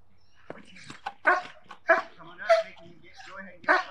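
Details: German Shepherd trained as a protection dog, barking during protection work: loud, harsh broadband barks in a quick series, about one every half second, with human voices audible in between.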